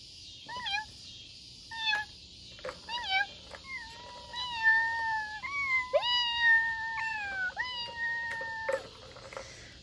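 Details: Domestic cat with foster kittens at play indoors; a series of short, high mewing calls with steady tonal pitch, some rising then falling, repeated irregularly several times over ten seconds, mixed with faint household rustles.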